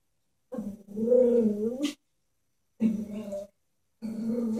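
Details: Chihuahua reacting fearfully to a stuffed toy horse gives three drawn-out, tonal growling notes, the first about a second and a half long and wavering, the last rising sharply at its end.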